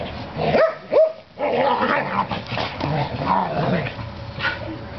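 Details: Two Norwegian Elkhounds playing rough in a back yard after a bath: two sharp rising yips near the start, then muffled growly scuffling, with a person talking to the dogs.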